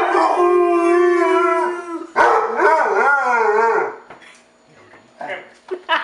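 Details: Harley, an 8-year-old rescued Basset Hound in Portland, Oregon, sustains one even howl, then breaks into a wavering, yodel-like warble before trailing off into short, quieter vocal bursts.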